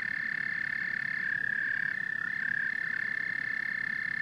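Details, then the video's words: Dense amphibian chorus of frogs and toads, a continuous shrill trilling band that wavers slightly in pitch, with a rapid pulsing texture and softer low croaks underneath. "Frogs and Toads Symphony"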